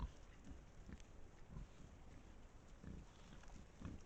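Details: Pack of wild boars caught by a trail camera in Estonia: low, short grunts at about four points across the few seconds, each a muffled burst over a steady rumbling, noisy background.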